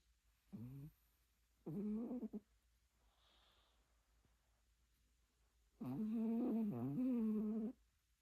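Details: A dog snores loudly in a strikingly human-like way, with short rasping snorts followed by a long, wavering, voiced snore of nearly two seconds in a quiet indoor room.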